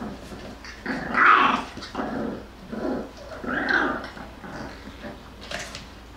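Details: Play-wrestling Jackabee (Beagle × Jack Russell) puppies, Miss Sansa's babies, trade rough grumbling growls in swelling bursts about every two to three seconds, the louder ones rising into a nasal whine.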